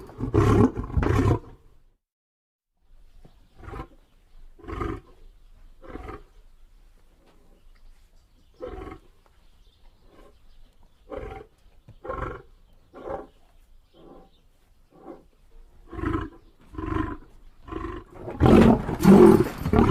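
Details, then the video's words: Lion roaring: two loud, deep roars open the sequence, then a long run of short, grunting huffs roughly every second, each fading and spaced farther apart as the bout tails off, with a final loud burst at the end. "lion sounds"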